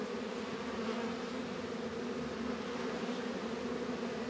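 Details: A constant, even buzzing of many honey bees busy at the hives on a mild 72-degree winter day in February, northern Kentucky apiary with Warre and Langstroth boxes; no breaks or other sounds.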